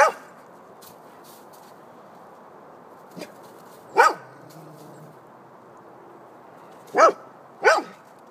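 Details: Golden Retriever dog barking at a snowman: loud, sharp single barks spaced by pauses, one near the start, a softer one and a loud one mid-clip, then two in quick succession at the end, over a steady low background hiss.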